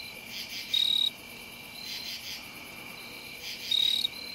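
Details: A Jumping bush cricket sings low in a lilac in Ithaca, New York, on September 11, 2018: loud, clear, high-pitched chirps about three seconds apart over a steady insect chorus.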